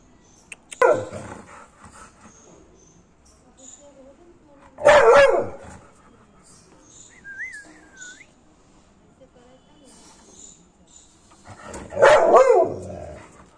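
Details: American Pit Bull Terrier in an aggressive mood, letting out three heavy, rasping barks spaced several seconds apart. A short wavering whistle and soft low murmurs fill the gaps.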